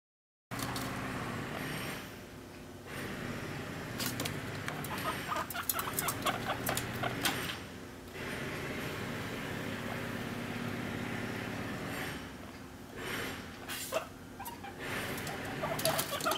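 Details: A guinea pig, filmed close-up and teased by being made to wait, begs for food with quick runs of heavy clucking nose-snorts and short squeaks, repeated in bursts over a constant mechanical hum.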